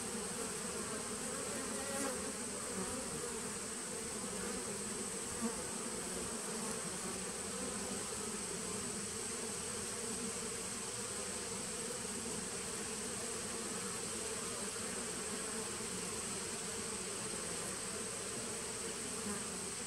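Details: Steady hum of a honey bee nuc from 2017, recorded 19 September 2018; the massed buzzing stays flat and even for twenty seconds, slightly brighter and hissier, under a constant faint high-pitched whine.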